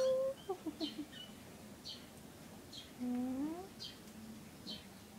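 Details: Kitten from a litter of three with the mother cat, indoors: a brief high mew at the start, then soft broken chirps and a longer rising meow midway, over faint background hiss.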